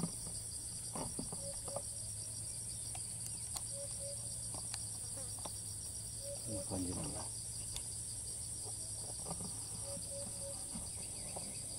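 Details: Cicada in Thailand that keeps calling even while fleeing, filmed at a distance with a raised monopod: unbroken shrill pulsing drone, scattered clicks and knocks, short low tonal notes, and a brief human voice midway.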